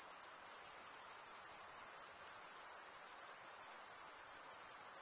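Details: Summer night in the forest with crickets chirping: an unbroken, very high trilling band of many overlapping pulses, even in loudness, nothing else standing out.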